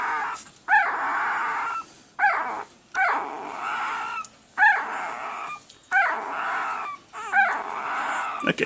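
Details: Red/sable male Pembroke Welsh Corgi puppy, one week old, April 2020 litter, held and shown: repeated high whines in bursts about every 1.3 seconds, each opening with a sharp rising yelp and settling into a sustained cry, with brief gaps between.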